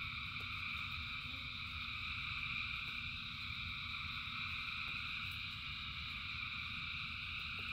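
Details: Thousands of frogs in rain form a seamless, buzzing chorus at several stacked pitches, while a low rushing rumble and occasional sharp ticks sit underneath.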